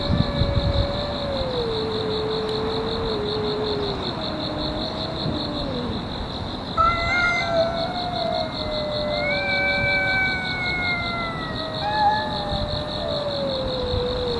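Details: Park-dwelling cats in a fight that has gone on for over a year. Long drawn-out yowls glide slowly downward, then overlapping wails rise and fall, over a steady pulsing insect-like buzz throughout.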